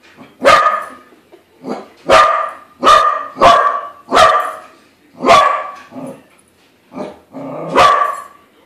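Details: A pet Corgi barking at a balloon shaped like a corgi, unaware it isn't real: sharp, loud barks in irregular bursts, seven or so across the stretch, with softer yips between.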